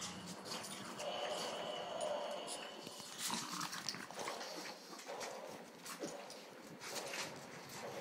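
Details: A bulldog excited in play, with a sustained whine early on followed by short broken whimpers and scuffling, as people urge it on in Spanish.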